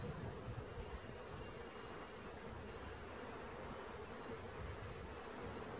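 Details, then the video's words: Bees in a swarm as it is being captured, a continuous monotone hum over a hissy background, with a few low knocks near the start and end. "Catching Bees start to finish bee swarm"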